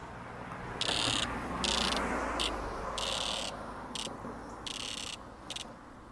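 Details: A cicada, one of a few found on sidewalks in 2020, gives short, harsh buzzing bursts of about half a second each, broken by pauses, over a background of rushing noise.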